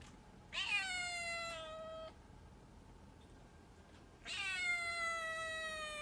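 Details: Pet cat meowing repeatedly: two drawn-out, tonal meows, each about one and a half seconds, the second starting higher and gliding down, separated by a quiet pause with faint room hiss.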